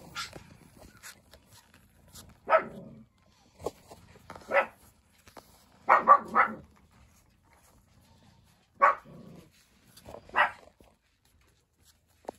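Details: Jack Russell Terrier, the eldest female puppy of a litter, described as easygoing; short sharp barks and yips come singly and in quick pairs, spaced irregularly across the recording with quiet gaps between.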